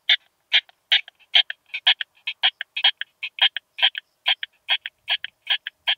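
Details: Song of a curve-tailed plump bush-cricket, Hohenbrugg an der Raab, Austria, 4 June 2021: steady rapid series of paired, clicking chirps, about two to three per second, evenly sustained throughout.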